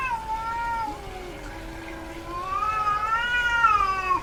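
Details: In heat, a female house cat gives long wavering caterwauls, a high drawn wail sliding up and down with a deeper moaning tone underneath, two extended cries with a brief pause between.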